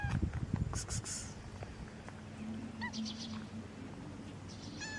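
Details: Black stray cat in the street giving a couple of short, arched meows near the middle, over steady low outdoor rumble with scattered clicks and knocks at the start.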